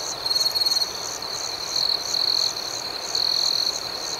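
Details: Crickets at night give loud, close, high-pitched trills in bursts lasting about half a second, over a constant ringing chorus and regular pulsing chirps.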